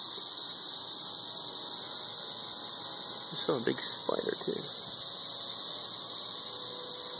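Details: Loud chorus of 13-year periodical cicadas in Nashville, Tennessee, a constant high shrill buzz filling the whole recording, with a short burst of a man's voice in the middle.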